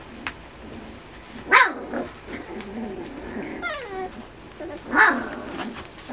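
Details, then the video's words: Miniature Schnauzer puppies, 45 days old, tussling in play within a litter of eight; two sharp yelps about three and a half seconds apart, with a thin rising-falling whine between them and soft background squeaks. "仔犬の格闘観戦中（Miniature Schnauzer's puppies of postnatal 45 days）"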